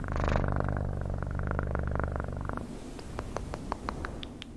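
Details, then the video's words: Strong, close cat purr, a dense rapid throbbing rumble with layered low tones for over two seconds, then fading into quieter clicks and soft taps. "Best PURRING sounds"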